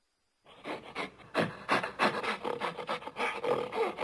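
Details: Gorilla giving a fast run of rough, breathy panting grunts, about three per second, growing louder after a brief silent start.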